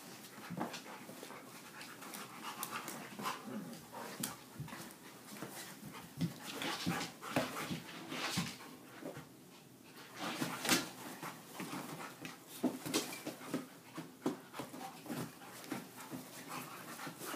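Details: Dogs playing indoors, with rapid breathy panting, snuffles and scuffling bursts of broadband noise throughout, plus brief faint whimpers.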